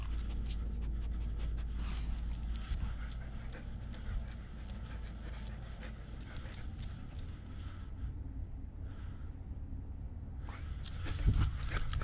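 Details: German Shepherd service dog Nala, left home alone, with a GoPro camera mounted on her body: rapid, rough panting breaths about every half second over heavy low rumbling handling noise, with a short quieter stretch midway and louder scuffs near the end.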